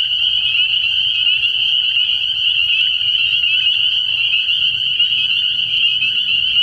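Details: Many spring peepers in full chorus at a frog pond at night in early spring, their high, piping calls overlapping into a continuous ringing wall of sound with faint deep murmurs below.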